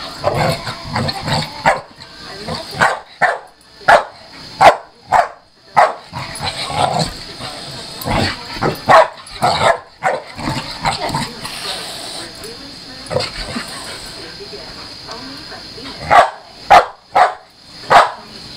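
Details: Chelsea, a pit bull, play-fighting with a Maine coon cat; neither animal gets hurt. Short sharp barks and yips in irregular bursts, some quick clusters, with gaps of scuffling and a steady high hum behind.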